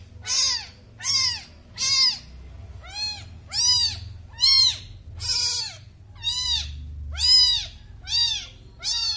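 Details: High-pitched kitten cries, a newborn calling in a run of arched, bent mews spaced a little under a second apart, with low rumbling background noise.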